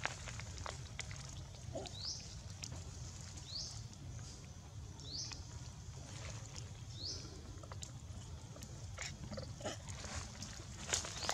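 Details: A baby monkey cries for milk when its mother refuses to hug it. Four short, high, rising squeals come about every one and a half seconds over a steady low rumble and scattered clicks.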